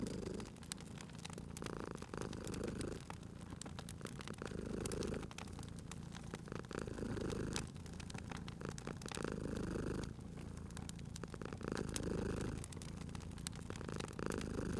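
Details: Cat purring at a fireplace, a steady low rumble rising and falling with each breath roughly every two seconds, under dense crackling and popping of burning wood.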